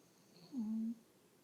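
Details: An old English bulldog gives a single low, droning snore with a slightly falling, wheezy tone.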